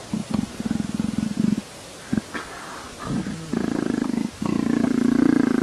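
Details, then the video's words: A leopard purrs in a motorcycle-like rumble, starting in short choppy pulsed bursts, with a couple of brief rough sounds between them, then settling into a louder, continuous throbbing purr over the final seconds. "леопард мурлыкает, как мотоцикл"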